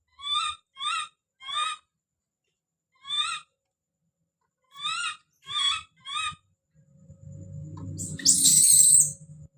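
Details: A baby monkey calling out with a scream: seven short, bright, harmonic cries in quick groups of three and four, followed by a shrill drawn-out squeal and low rumbling scuffles.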